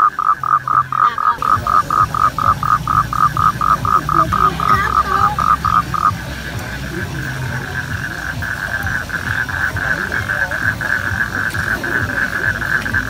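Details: Mating toads: a toad gives a fast series of nasal, pulsed notes, then a long steady trill.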